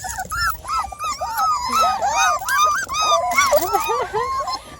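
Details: Vocal five-week-old Beagle puppies, still noisy after feeding, pour out rapid squealing whines and yips, about two or three per second, rising and falling in arcs; a woman speaks softly nearby.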